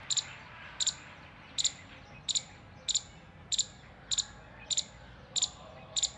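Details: An alert Indian palm squirrel (Funambulus palmarum), balancing his body, gives sharp, high chirps in doubled bursts, repeated steadily as an alert call.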